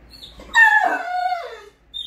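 A Great Dane gives a high, drawn-out whine that slides downward, greeting its owner home.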